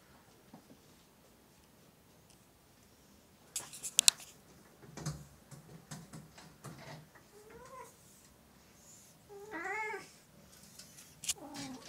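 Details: Oriental or Siamese domestic cats indoors, clattering and rustling first, then several short, wavering, plaintive meows toward the end among taps and movement noise.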